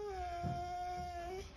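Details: Husky lying upside down and talking: a steady drawn-out tonal moan held level for over a second with a slight rise at the end, in a quiet room.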